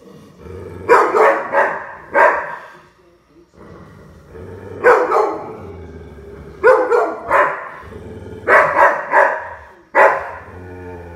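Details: Puppy at play barking in short clusters of two or three yaps, the groups returning roughly every two seconds over a faint low hum.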